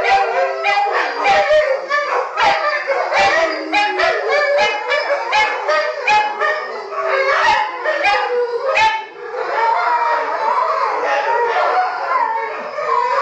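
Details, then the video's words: Pack of pet dogs and wolf hybrids in their nightly chorus, usually begun by shrill little Taka, with Scooby the Pit/Boxer's low howl beneath: a thick mass of high yipping howls and steady held notes, briefly dipping near nine seconds. "Nightly Howl"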